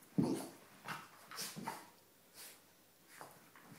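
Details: Two Border Terriers, Biscuit and Archie, wrestling together in play; a short low growl opens, followed by several brief huffing, scuffling bursts spaced roughly half a second to a second apart.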